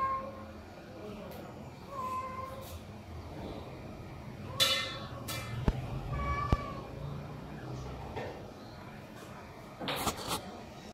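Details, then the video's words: Hungry homeless cats calling loudly for food in the morning, waiting to be fed; several short, faint meows rise and fall over a steady noisy background, broken by sharp clattering knocks and bursts. "Hungry & Homeless cats calling loudly for Food"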